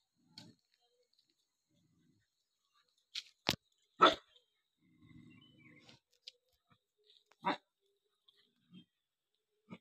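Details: Angry dog barking while eating: a few short, sharp barks near the middle and again later, with a soft low rumble between them and scattered quiet clicks.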